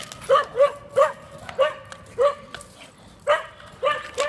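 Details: Neighbours' dachshunds barking: sharp, yappy barks with clear harmonics, about eight in four seconds, irregularly spaced and sometimes doubled, over a quiet background.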